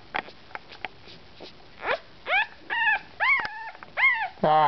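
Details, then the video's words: Young Bugg puppy born 10 March 2008, whimpering because it wants to be back with its brothers and sisters; a run of high arching whines and yelps in the second half, some soft speech early on. "Bugg puppy"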